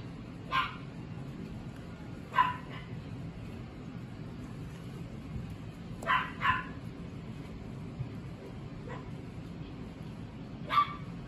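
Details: Mixed-breed puppy (Chihuahua × Chihuahua-poodle × miniature dachshund) offered for sale, giving sharp high yips at irregular intervals, singly and in pairs, about six across eleven seconds, over a low steady room hum.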